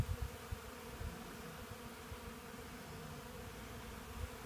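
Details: Hundreds of Western honey bees (Apis mellifera) at a portable sawmill gather sawdust from freshly milled Black Locust sawlogs, their many wings making a steady, low droning buzz.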